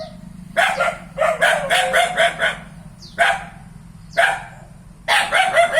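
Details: Dog giving bursts of rapid, rough barks, three to five in a run, then single barks spaced about a second apart, over a faint low background hum.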